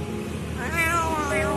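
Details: Hungry kitten at a roadside food stall meowing repeatedly as a sign of hunger while approaching people; a drawn-out harmonic meow with a wavering pitch, over steady traffic hum and a woman's voice.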